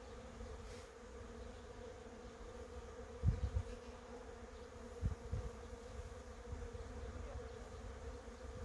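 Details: A continuous, level buzz of honey bees around cherry blossoms, broken by a couple of sharp low knocks near the middle, over a soft background rumble.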